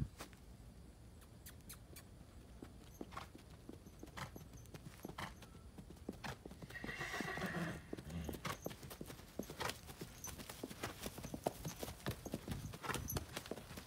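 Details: Cremello Tennessee Walking Horse mare, foaled 2007, ridden at dusk on her first ride in a year, straight from pasture after weaning a foal. Steady hoofbeats throughout, with a brief harmonic whinny near the middle.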